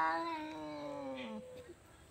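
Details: Two cats quarrelling; one long drawn-out wail holds steady and slowly sinks in pitch for about a second and a half, then breaks off, with a faint voice afterwards.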